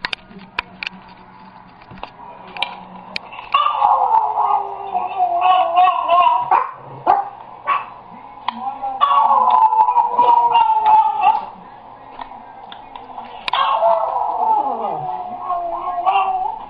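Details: Jack, a pet dog, cries on hearing a recording of his own crying: long wavering whines that dip and rise in pitch, in bursts of several seconds, with short breaks, over laughter and voices in the room.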